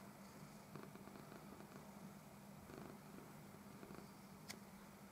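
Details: Domestic cat very slowly making contact with a new friend, kissing and stroking it; soft, low, steady purring runs throughout, quiet and continuous, with faint rustling and a brief sharp click near the end.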